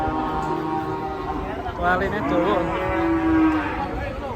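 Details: Raging cattle bellowing: a low harmonic moo wavers and bends midway, then settles into a steady drawn-out tone, over a constant background hum and murmur.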